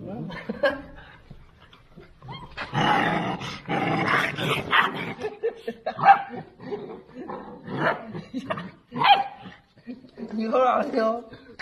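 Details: Litter of two-month-old Central Asian Shepherd Dog puppies at feeding time, a large ration of dog food vanishing at once; rough overlapping barks, yelps and growls in dense bursts, with human voices talking over them.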